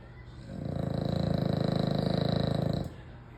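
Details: American Bully dog sleeping and snoring very loudly, one long snore of about two and a half seconds: a deep, rapidly fluttering rattle that rises, holds steady, then stops abruptly, with quiet before and after.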